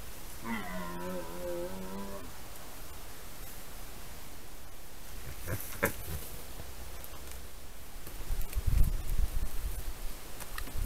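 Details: Red deer in the rut giving a low harmonic roar of under two seconds near the start, steady in pitch, followed by quiet background rustling and a few clicks.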